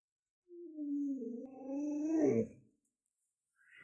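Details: Lolo, a pet Alaskan Malamute, gives a drawn-out, moaning vocalization of about two seconds. It starts steady, slides lower, then wavers and swells before stopping abruptly. A faint human voice follows after a short pause.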